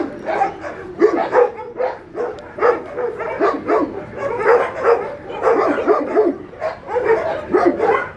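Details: Faith's puppies together with Cereja, with clustered bursts of shrill yaps and squeaky whimpering barks that rise and fall in small groups about every second.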